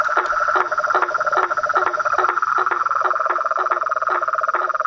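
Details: Frogs, toads and treefrogs in full chorus, giving rhythmic clacking pulses more than twice a second over a sustained high trill and a steady mid-pitched croaking tone.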